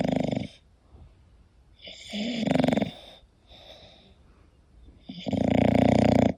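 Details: An English Bulldog snores loudly while sleeping, with rough rattling breaths coming in long surges.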